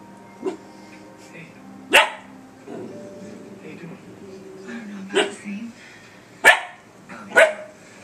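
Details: Puppy indoors barking at her own reflection in a laptop screen: a few sharp, isolated barks spaced a second or more apart, with quiet whines and murmured human talk between them.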